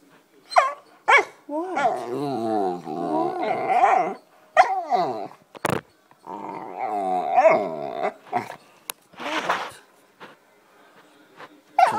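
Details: Black Labrador Retriever puppy hiding under a couch and getting loud: wavering, harmonic whines and yodelling howls rising and falling in bursts, broken by short yips, with a man's voice talking over it.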